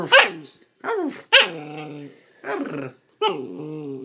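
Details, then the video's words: Nine-week-old Bernese Mountain Dog puppy chattering during cuddles; five growly, whining utterances about a second apart, each starting with a rough bark-like onset then sliding down into a moaning tone. "Bernese that has so much to talk about..."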